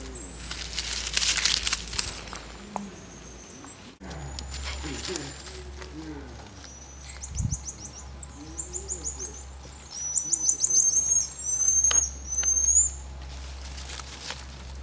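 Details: Social interactions among marmosets: soft lower murmuring and chattering sounds in the middle, then several very high, fast pulsed trills and thin whistles toward the end, with a constant low electrical hum underneath.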